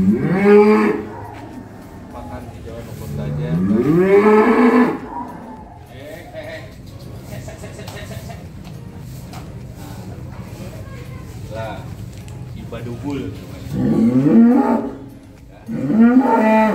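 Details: Simmental and Limousin beef cattle mooing in their pen at Kampung Deraham: long, loud, rising moos rich in harmonics. Two calls come in the first five seconds and two more near the end, with a low steady rumble and quiet stretches between.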